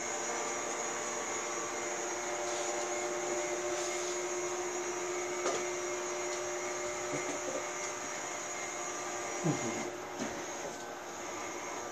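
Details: A steady mechanical whir and hum of a robot vacuum cleaner fills the room, with no animal calls.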